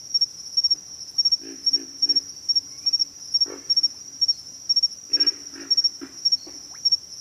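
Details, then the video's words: Low grunts from pig frogs come in runs of three quick notes, then a single louder grunt and another burst of rapid grunts, all against a constant shrill insect drone. "pig frogs - sound effect"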